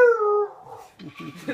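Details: Basset hound howling along to a clarinet tune indoors: a short, loud, tonal howl sliding gently downward, followed by people talking and laughing.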